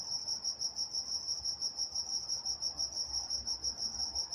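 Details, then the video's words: In Walnut, California, crickets sing at night: rapid, even pulses of a high, thin chirp, about three per second, with an overtone band above and a soft low rumble underneath. "Nature Sounds Night Time Crickets in Walnut, California"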